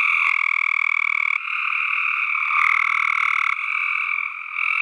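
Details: A continuous, buzzy trilling from tree frogs: tightly pulsed calls carrying a lower and a higher tone band, overlapping callers swapping in about every second, and a few sharp clicks.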